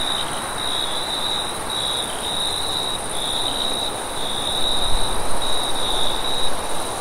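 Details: Crickets chirping at night in a broad wheat field, a high trill broken into short bursts, while wind swells and gusts louder with deep low rumble toward the end.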